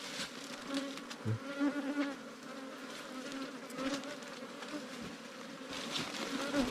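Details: Small wild cavity bees from an underground nest in Thailand, dug out during honey hunting; a droning buzz swells and fades repeatedly among clicks, taps and scraping sounds of the work.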